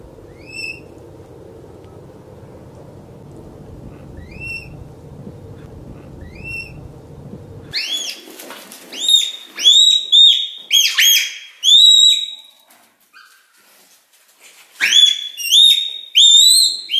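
A red panda gives high, thin squeaks that rise sharply, then louder clustered calls.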